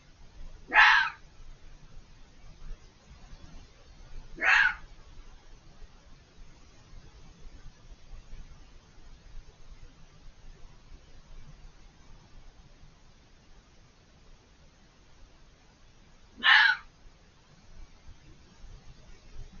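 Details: Fox calling from behind a hedge, out of sight, vocal for several minutes; three short, raspy, shrieking screams, two close together early on, then a long quiet gap before the third.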